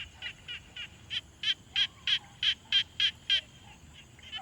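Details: One frog calling at a quiet pond, recorded on a Tascam Portacapture X6: a series of about eleven sharp, evenly spaced croaking notes that swell in loudness and then fade, followed by faint scattered calls.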